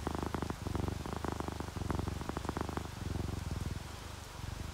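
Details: Relaxed domestic cats, an orange tabby and a calico, doze while rain drips outside; a low throbbing purr swells and fades in breath-linked bursts, with soft raindrop ticks over the rumble.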